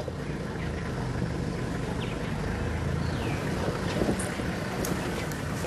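Steady low engine rumble and wind noise with no clear animal voice.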